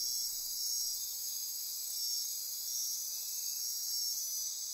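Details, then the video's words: Dense nocturnal insect chorus in Costa Rican rainforest near Corcovado National Park on the Osa Peninsula at midnight; continuous high shrill trilling and buzzing bands with gentle pulsing swells, no other clear sounds. "Costa Rica Rainforest - Midnight Insect Chorus"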